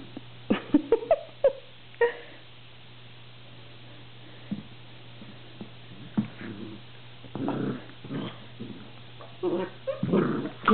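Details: An orphaned Labrador Retriever girl playing with a cat tree gives short whines and yelps early on, then rough, gritty growling bursts, among bumps and knocks, with a woman's encouraging voice nearby.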